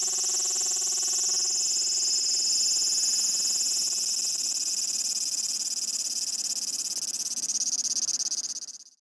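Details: A cicada on a window in Tokyo, 12 August 2016, sings a loud, steady, high-pitched buzz that barely wavers before cutting off.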